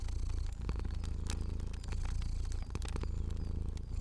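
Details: Sleeping fluffy cat purring in a cozy setting: a steady, deep rumbling purr with a fast pulsing rhythm that runs through the whole stretch, sprinkled with sharp pops and crackles from a burning fire.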